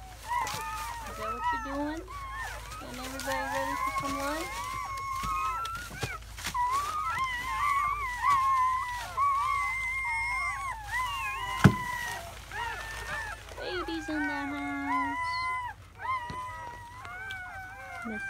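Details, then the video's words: Newborn German Shepherd puppies from a litter of seven, four boys and three girls, in their first hours in May 2017, uttering wavering whines and squeals. A few lower drawn-out moans and some sharp clicks and knocks are also heard. "The sounds of 7 newborn German Shepherd Puppies"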